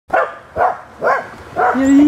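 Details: Puppy afraid to jump into water barks four times in short, loud bursts about half a second apart, the last bark running into a higher, drawn-out whine.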